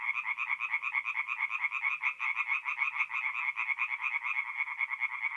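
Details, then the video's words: Tree frogs in a forest pond at night, mid-April, north-east Italy, croaking in a loud, rattling chorus; each croak is a quick burst of pulses, repeated about twice per second by overlapping voices. "relaxing forest pond by night with singing tree frogs"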